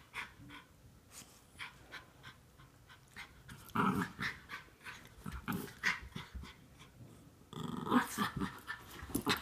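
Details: Norfolk Terriers wrestling playfully with a younger dog to keep him under control; quiet rapid panting at first, then bursts of low scuffling growls and huffs that grow louder toward the end.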